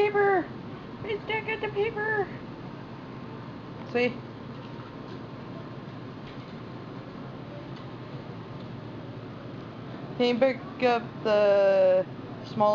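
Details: Chihuahua puppies at play on a floor give short clipped yelps early on, then a cluster of drawn-out, quavering whines near the end, with a quiet stretch between and a constant low hum in the room.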